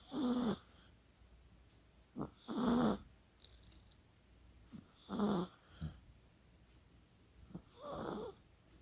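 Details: Asleep, the Chihuahua Kaka snores rhythmically, recorded 24 October 2020: four rough, buzzing snores about every two and a half seconds. Small clicking snorts fall between them.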